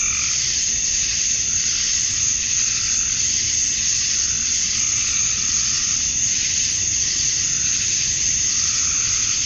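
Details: Dusk chorus of male cicadas calling for females on a summer night in Georgia, USA: a continuous high sizzling drone, with lower pulsed calls surging every few seconds beneath it.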